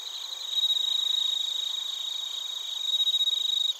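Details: Crickets, including bell crickets, recorded in Narita, Chiba, Japan, with a TASCAM Portacapture X8: a high, ringing pulsed trill swells twice in loud bursts over a steady bed of several shrill insect tones.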